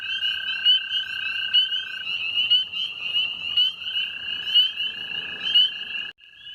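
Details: At night early in the 2019 season, a dense chorus of calling male spring peepers sounds beside flooded areas: high, clear peeps overlapping constantly over a steady lower trill.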